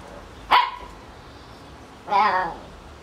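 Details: Two separate high puppy barks from a seven-week-old Kicsi x Sunny litter, the first short and sharp, the second longer and more drawn out, with quiet hiss between.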